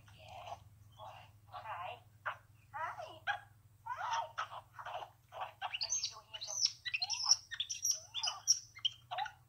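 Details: Baby male capuchin monkey greeting his human on her return after a short absence, loving on her; a run of twittering, squeaky chirps rising to thin high whistles near the end, with a human voice talking alongside indoors.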